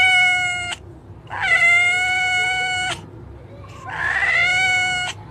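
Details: Domestic cat meowing: three long, steady, flat-pitched meows, each held about a second or more with rich harmonics, the last one rougher and slightly rising, over a faint low hum.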